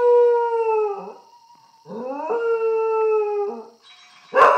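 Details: Pet dog belonging to a grandmother howls at an iPhone, giving sustained level howls that fall slightly at their ends, separated by a brief gap, and closing with a sharp burst of noise.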